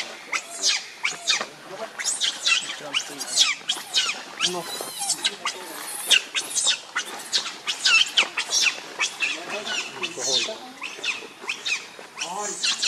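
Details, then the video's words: Monkeys in a tense clash as Rainbow angrily protects Lucie from Kachoy; dense, continuous shrill screaming and chattering cries overlap throughout, loud and harsh. "Rainbow Very Angry To Protect Lucie From Kachoy"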